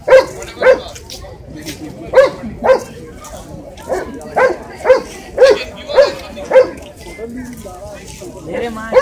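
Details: Repeated high yapping from a Shih Tzu, about a dozen short barks in uneven bursts, some paired, with faint voices underneath.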